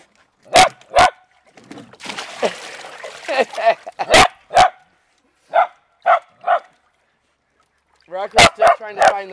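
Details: Beagle/Dachshund family dogs having fun playing in water, one digging to find the water; sharp barks in pairs and short runs, a gap filled with a person talking, then a quick burst of four yaps at the end.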